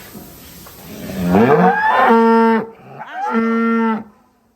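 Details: Cattle in a large Indonesian barn holding about a thousand cows, among heavy bulls named Astro, Kaisar and Sembara; two loud, steady, low moos, the first rising into a long held note, the second shorter after a brief pause.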